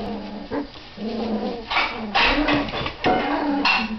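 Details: Doberman puppies at 25 days old asserting dominance on one another; low growling whines alternate with higher squealing yelps, several overlapping, getting louder toward the end.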